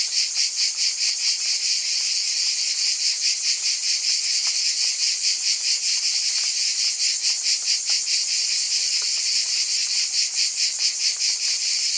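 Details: Loud, sustained cicada chorus, a hissing high buzz beating steadily about twice a second across twelve seconds, with a faint low hum in the background.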